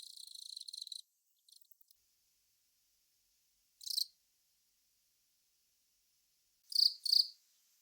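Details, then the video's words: Velarifictous aspersus, a long-mouthed cricket, ends a soft trill, then gives isolated loud chirps: a single chirp, then a quick pair of high, clear chirps. "くちの長ーい クチナガコオロギの鳴き声"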